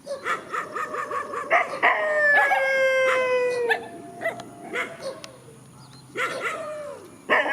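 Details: Dogs in the countryside face off in a field, opening with quick repeated yelps, then a sustained howl that glides steadily downward for about two seconds, followed by scattered short barks and yips.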